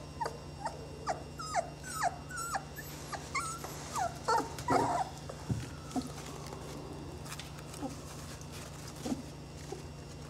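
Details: Twenty-day-old Saluki puppies in a litter make faint, quick whimpering yelps in an irregular stream, growing softer and sparser toward the end, over a steady low hum.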